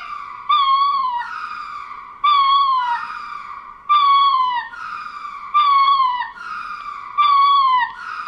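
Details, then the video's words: Wailing ring-tailed lemur cries, each a drawn-out tonal note that wavers and falls, then a second overlapping voice, repeating about every one and a half seconds in five bursts; nothing else audible. "Ring Tailed Lemur - Lemur Sounds"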